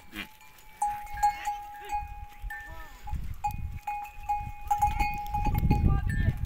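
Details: Herd of goats resting together on warm sandy desert dunes at sunset after a day of foraging; a few short wavering bleats rise and fall amid a steady ringing bell-like tone and low rumbling wind noise.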